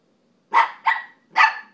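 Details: Dog barking at another dog that seems not to care or notice, while playing on a couch indoors; three sharp barks in quick succession, each broadband with a strong mid-pitched core, in an otherwise quiet room.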